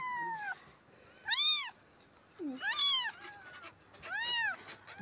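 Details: Stray street kitten, left alone after its two siblings died, being rescued and cleaned; four loud, high, arching meows with strong harmonics, rising then falling, spaced about a second apart, with faint soft background sounds.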